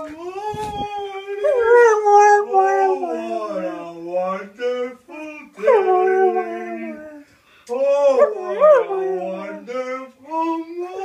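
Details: Ziggy, a Samoyed, howls along indoors to an advert song he always pays attention to. Drawn-out wavering howls rise and fall in pitch in three long phrases broken by short pauses, while the jingle's sung words play underneath.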